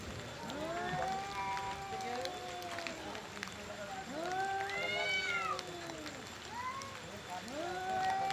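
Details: Angry male cats in a fight over their area and breeding: long arching moaning yowls overlapping one another, rising and falling slowly, with a low steady background hum.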